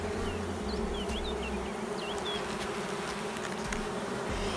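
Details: Queenless honey bee colony, no brood on the frames and likely becoming a drone-laying hive: a dense, even buzzing drone throughout, with short high bird chirps above it.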